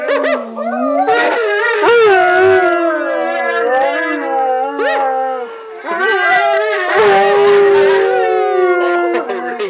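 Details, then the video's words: A giant Cardigan Welsh Corgi, confused while watching a video of another dog on screen, howls in long, wavering tones that slide up and down. "Tommy the Confused Corgi"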